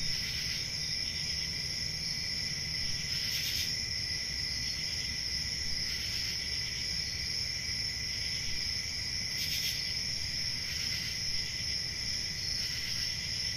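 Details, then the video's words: Crickets on a summer night in a forest, a dense chorus of steady, high-pitched continuous chirring with a lower second band, brief soft hissy swells every few seconds and a faint low rumble beneath. "Relaxing Cricket Sounds For Sleep"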